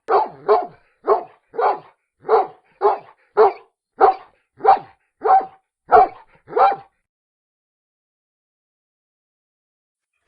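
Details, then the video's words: Dog barking steadily, about eleven short barks evenly spaced at roughly two per second, then silence for several seconds. "LADRIDOS Y SONIDOS DEL PERRO - The dog barks and sounds-"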